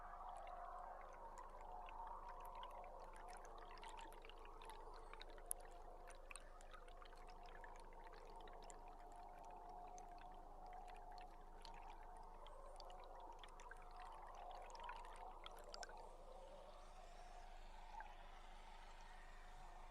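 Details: Belugas in a large feeding group, heard underwater from a tour boat on July 16: faint wavering whistles and chirps hold a steady band, with sharp clicks scattered over constant water noise and a low hum.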